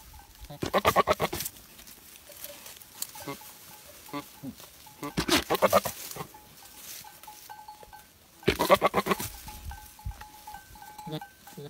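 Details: A male goat gives loud, wavering bleats in three bursts, calling to a female for mating.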